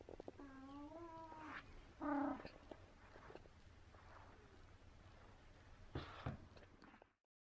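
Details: A very talkative 17-year-old pet cat meowing indoors in a small room: one drawn-out, gently rising then falling meow, a short louder chirped meow about two seconds in, and faint quieter vocal sounds near the end.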